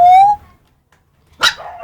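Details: Puppies: a clear rising whine, then a pause and a single sharp yip with a short trailing squeak.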